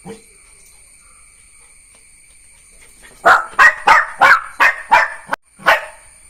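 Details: Neo, a Jack Russell Terrier puppy, bursts into a run of seven sharp, high-pitched barks in quick succession after about three seconds of near quiet, with a steady faint electronic whine throughout.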